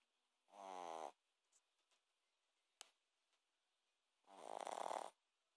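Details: A Shih Tzu snores in two long, rasping breaths a few seconds apart.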